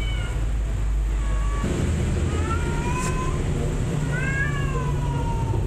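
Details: Mother cat and her kittens playing hide and seek; two sets of drawn-out, gently falling meows, one near the start and a longer pair after four seconds, over a steady low rumble and background hiss.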